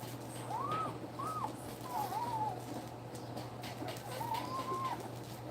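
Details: German Shepherd puppies two weeks old, from a litter of eight, whimpering while nursing: four or five short arched whines, each rising then dropping, spaced about a second apart against a constant low hum.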